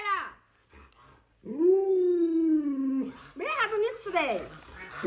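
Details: Indoors, the pet Alaskan Malamute Luoluo begs for a piece of watermelon. A long, level, howl-like tone is held for over a second, then wavering, rising-and-falling vocal sounds follow, mixed with room noise.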